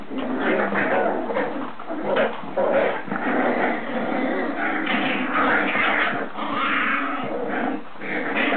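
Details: Irish Soft Coated Wheaten Terrier puppies heard close indoors, a continuous jumble of yips, whines and small growls overlapping one another with no pause, several young voices at once.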